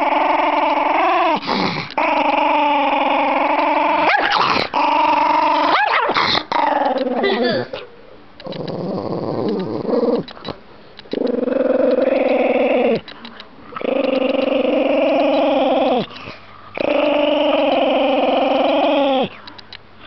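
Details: Angry pet Chihuahua called Shaggy: drawn-out snarling growls lasting several seconds each, separated by short pauses, with a quieter murmuring stretch near the middle and some human voice in the background.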